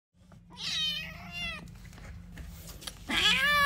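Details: Kitten meowing for its mother: two drawn-out, high, harmonic-rich meows, the first sliding gently downward over about a second, the second rising then falling, with a steady low hum underneath.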